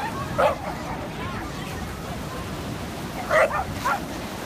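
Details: A corgi chasing another corgi gives three short, sharp barks, one just after the start and two close together near the end, over a steady background hiss.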